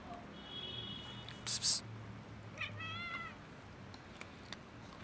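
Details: Big white cat and black cat showing love for food on a cold day: a thin, steady high-pitched meow, a sharp brief noise burst, then a second wavering, slightly rising meow, over low background hum.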